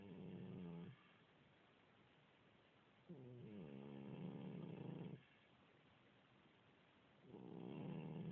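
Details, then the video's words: An elderly house cat, about 16 years old, suffering a continuous cold. Three drawn-out, buzzing snores, each lasting one to two seconds, are separated by quiet breathing pauses, indoors. "Snoring cat"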